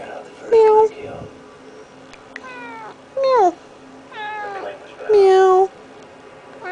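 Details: House cat, male, chatting to its owner indoors and demanding petting; a handful of drawn-out meows, some bending downward in pitch, separated by brief pauses and soft background noise.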